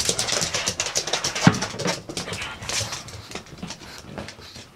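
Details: Excited after a walk in the park, Pugsy the pug snorts and huffs in fast, irregular broadband bursts indoors, loudest at first and fading gradually over the last seconds.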